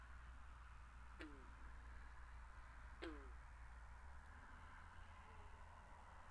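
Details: Pondside frog in a binaural recording gives two abrupt, twanging notes about two seconds apart, each sliding downward, against a constant low drone and faint hiss.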